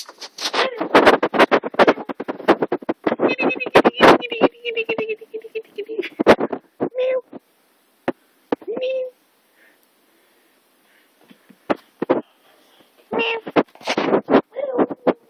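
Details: Kitten mewing in short, thin, tonal calls, some gently rising at the end, heard several times between bursts of loud clattering and sharp knocking noises, with quiet gaps in between.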